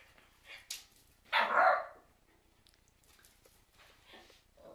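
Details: Cairn Terrier letting out a single loud, harsh bark after a faint yip, followed by quieter rustling and low background hum.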